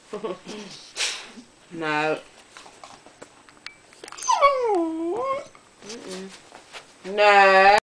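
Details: Indoor pet husky talking while begging for some toast: short whines and yelps, a swooping wavering moan in the middle, and a loud harmonic-rich howl at the end, with a woman's voice and household noises between.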